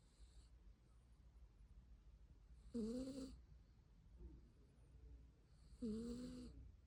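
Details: Sleeping pet cat Byeol-i snoring indoors: two strong, raspy whistled snores, each nearly a second long and about three seconds apart, with soft breathing between them and a quiet low background hum.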